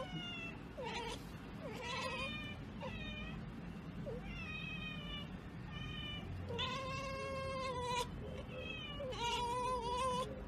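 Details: Cat meowing again and again, a run of drawn-out, wavering meows that rise and fall, with two longer, louder meows near the end, over a steady hiss of background noise.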